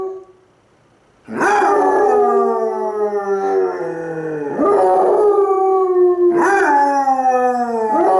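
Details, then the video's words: Pet Basset Hounds Cooper, brown, and Jahko, black, howl at each other; after a short silence a long, loud, continuous howl with a second lower voice beneath, swelling again twice. "Basset Hounds Howling... Lazy Style!"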